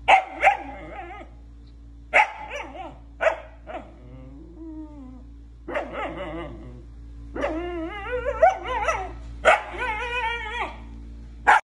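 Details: A female Siberian Husky gives wavering, yodel-like howls that rise and fall in pitch between short yips as her owner jokingly tells her she can't have a boyfriend.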